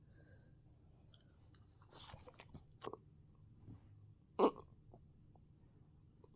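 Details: Quiet room with soft chewing and crunching and a few sharp clicks, and no animal voice.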